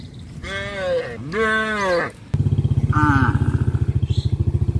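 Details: Cows on a traditional village farm, roaming the village streets, give two drawn-out moos that rise then sag, before a motorcycle engine putters in close by.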